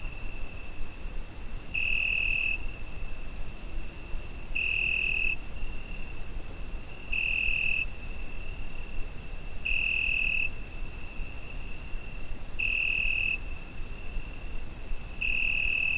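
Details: Cricket on a summer night, recorded with a Zoom H5: a steady high pure tone runs throughout, swelling into louder bright bursts of under a second roughly every two and a half to three seconds, over a low background rumble.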